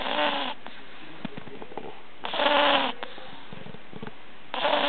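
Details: Pug puppy Katinka snoring in her sleep, likened to an old overweight man: harsh rattling snore bursts of about half a second every two seconds, three heard, with soft sniffles between.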